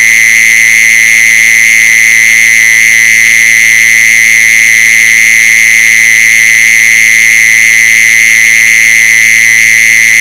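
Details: Mole cricket call used as a lure for mole crickets: one loud, unbroken, high buzzing trill held at a steady pitch, with no pauses and no other sounds.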